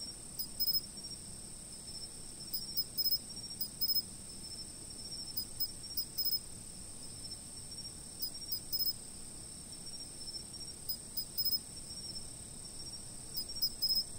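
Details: Insect chirping picked up by a fixed camera: a steady, very high continuous ringing tone, with faint, scattered clusters of brief chirps every few seconds.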